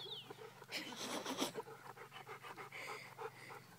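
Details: Golden retriever panting while playing fetch: fast, regular breathy huffs, roughly three or four a second, with a brief rustling burst near the start and a steady low hum underneath.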